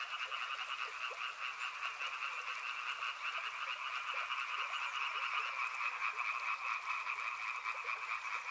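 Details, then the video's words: Riverside frog chorus: countless rasping croaks pulse quickly and unevenly, blending into a continuous high trill that swells slightly toward the end. "Frog Sounds | Soothing sounds of river and frogs"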